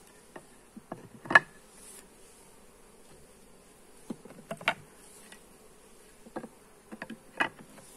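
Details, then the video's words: Honey bee colony heard during a hive inspection, captured with a Xiaomi Redmi Note 8 phone: a continuous low droning hum from many bees, with sharp taps and scrapes of hive frames being handled at irregular moments. "Hive inspection - Bee sounds"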